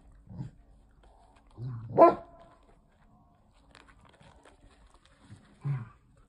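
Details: Toy Poodle puppy giving three short, gruff barks, spaced a few seconds apart with the middle one loudest, in an otherwise quiet room.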